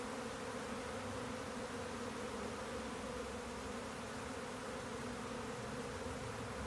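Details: Honeybee swarm in flight: a continuous, even buzzing drone, rich in low humming bands, unchanging from start to finish.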